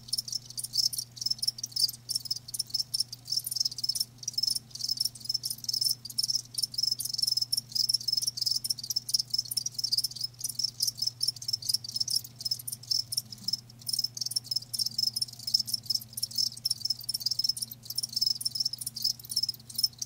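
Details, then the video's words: Live crickets chirping steadily for twenty seconds, dense high-pitched trilled pulses overlapping in quick succession, with a constant low hum beneath. "Live Crickets 60min "Natural Sound""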